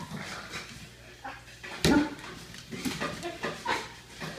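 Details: Weimaraner and pug playing together indoors; short rough barks and growly yelps, with one loud harsh bark near the middle, amid scuffling and shuffling sounds.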